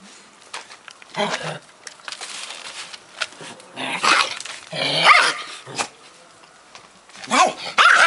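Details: Two dogs indoors, a Bull Terrier trying to play and a Pekingese rebuffing it: short growly rumbles and sharp yapping barks in irregular bursts, with faint human voices.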